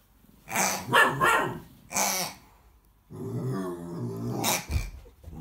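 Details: American Akita puppy confronting a pig, with clustered barks followed by a sustained low, rumbling growl lasting over a second, then one more sharp bark.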